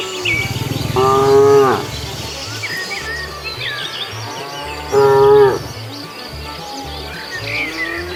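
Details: Cows stroll down a road looking for something to eat. Two loud, steady moos come about four seconds apart, each lasting under a second, with faint bird chirps and a low rumbling background.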